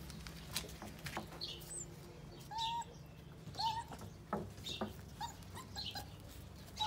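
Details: Pitbull cross Jack Russell terrier puppies, six weeks old: a few short, thin, high whines, slightly wavering, separated by pauses, over scattered clicks, rustling and a steady low hum.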